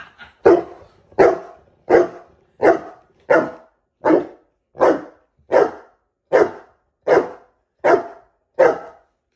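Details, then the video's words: Saint Bernard barking steadily: twelve deep, booming woofs spaced evenly about every three-quarters of a second, each abrupt and full-bodied, with clean silence between them. "saint Bernard 🔊"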